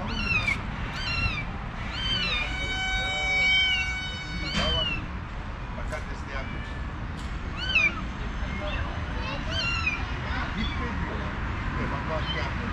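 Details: Mother cat calling to her escaped kitten, trying to persuade the runaway to return home; repeated short rising-falling meows, several long drawn-out, over steady low traffic rumble outdoors.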